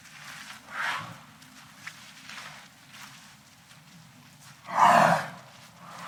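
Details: A walking elephant gives two breathy, blasting snorts a few seconds apart, with quiet rumbling in between.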